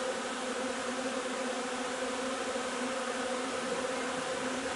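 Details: Honey bee colony at work during the linden nectar flow, 3 June: an even, thick hum of many wings, steady in pitch and loudness.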